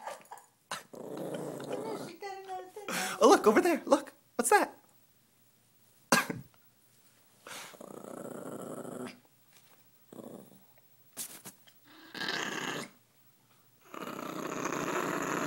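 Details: Mila, a dog possessive over her money, gives short growls and grumbles mixed with a person talking to her and pointing her attention elsewhere.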